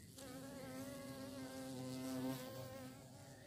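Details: Bee searching for prey: a close, continuous buzzing drone, steady in pitch with slight wavering, growing a little louder toward the end over three and a half seconds.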